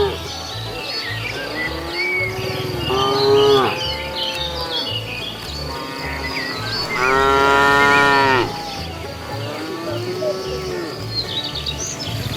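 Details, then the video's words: Cows walking along a road in search of food give three moos, a short one, a long loud rich one, then a softer rising one, against chirping birds and a low background drone. "Funny cow sounds"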